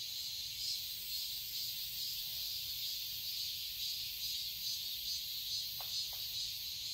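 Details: Cicadas buzzing in a Seoul, Korea garden during summer, a shrill, rhythmically pulsing drone, with two quick sharp clicks or chirps near the end.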